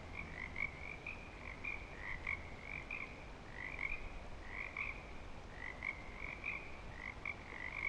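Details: At Clearwater Commons in breeding season, frogs call in a steady chorus of short rasping trills, grouped in clusters roughly every second, over a low rumbling background.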